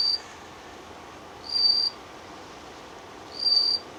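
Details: Bell cricket (Meloimorpha japonica) song in autumn on temple grounds: short, high, bell-like ringing chirps about every two seconds, made by striking small bumps on its wings, a mate-calling serenade.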